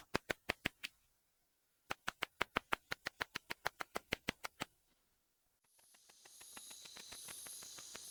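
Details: Ashizuri katydid (Tettigoniopsis ashizuriensis), which sings ultrasonically at the Japanese house bat's pitch. Crisp clicks come in two clean series, one short and one longer, separated by a pause, followed by rising hiss.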